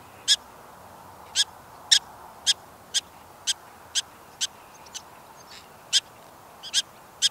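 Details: Alarm from prairie dogs by their home burrow after a relaxed spell: a quick run of short, piercing chirps, evenly spaced roughly every half second, standing out against quiet background hiss.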